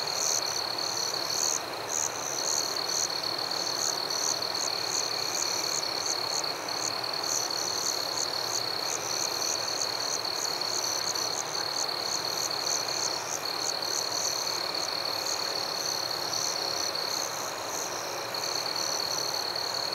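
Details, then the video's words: Forest crickets calling at night: one unbroken high, thin trill with quick higher chirps stacked above it in regular bursts, the trill dropping out for a moment partway through, all over steady low hiss. "Crickets at Night"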